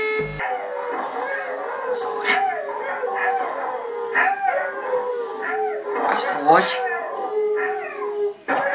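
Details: A German Shepherd howling in a wavering, drawn-out voice with short breaks and pitch bends, mixed with background voices and other noises.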